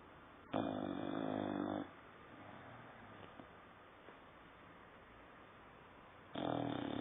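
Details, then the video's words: Saddam, a nine-month-old dog, snoring indoors: a rough, buzzy inhaled snore lasting over a second, then a long quiet pause before the next snore starts at the very end. "Saddam roncando"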